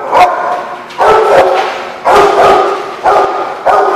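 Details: Dog recorded on 17 June 2016, barking five times in four seconds: loud, full, mid-pitched woofs at slightly uneven intervals.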